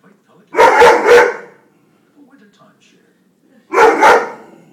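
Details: A Weimaraner barking at birds gives two loud double barks, each a quick pair of deep, rough woofs.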